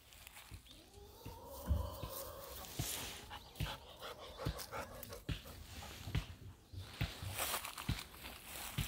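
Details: Golden Retriever outdoors at a farm field, paying little attention to an elderly man working on a water intake near a chicken coop. A whining tone rises and falls near the start, followed by scattered thumps and rustling.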